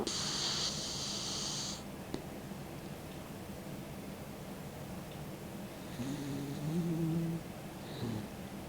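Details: Sixteen-year-old Mick, an elderly dog, sleeps with his tongue out: a breathy hiss opens, a long stretch of soft breathing follows, then a low buzzing snore with a faint whistle near the end.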